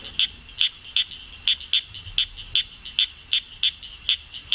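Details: A small male frog from the Nepal Himalaya, recorded in the 1970s, sings from bushes in undergrowth near and above torrents: short, high-pitched chirps several times a second at an uneven pace. At the end its call changes, agitated by another male singing nearby.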